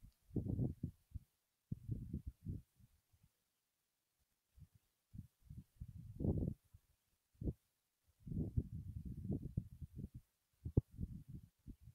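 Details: Only muffled, low thumps and murmuring bursts are heard, with no clear animal calls.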